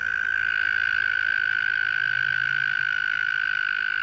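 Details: Loud calling from a tiny frog, heard on the way home: an unbroken, even, rapidly pulsed buzzing trill at a fixed mid pitch, steady in loudness throughout, with a faint low hum beneath.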